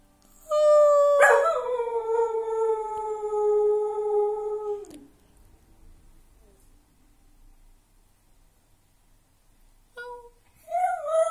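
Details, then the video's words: Domestic dog howling along with its owner indoors: one long steady howl held about four seconds, sliding slightly downward, then near silence before a brief new howl starts at the end. "Howling Session with Dog"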